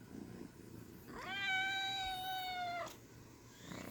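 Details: A small kitten gives one long, sustained meow lasting almost two seconds. It starts with a brief upward slide, holds a steady, clear, harmonic pitch, then cuts off. A faint low hum sits in the background.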